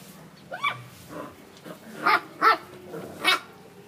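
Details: Basset hound puppies from a litter of eight born July 19, 2013, kept in Mintal, Davao City, Philippines: a string of short, high yelping barks, roughly five sharp bursts within four seconds, separated by brief quiet gaps.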